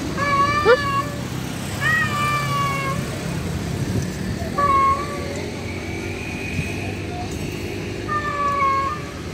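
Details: Male cat calling to a wild female during mating, uttering a series of shorter meowing yowls, some quite faint, spaced irregularly against continuous low-pitched background rumble.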